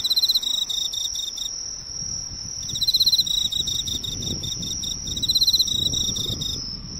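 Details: Close recording of an Emma field cricket that came to a drugstore's lights, producing loud trilled chirp phrases broken by brief silences, with a continuous shrill tone and faint low rumble behind.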